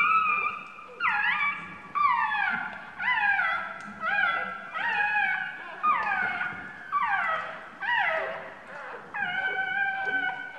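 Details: Two-day-old puppy crying after its mother sat on it: sharp whines that drop in pitch, each about a second long, repeated roughly once per second in a steady series against a quiet background.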